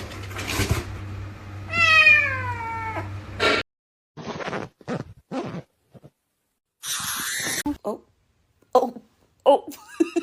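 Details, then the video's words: Domestic cat giving one drawn-out, harmonically rich meow that slides downward over about two seconds. Short knocks, thumps and brief scattered noises follow, with a few short cries near the end. "cats meowing"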